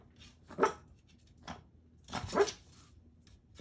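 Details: Pet Shih Tzus chasing a laser pointer: two short, harsh barks about two seconds apart, with a faint yip between and one at the end, over a quiet background.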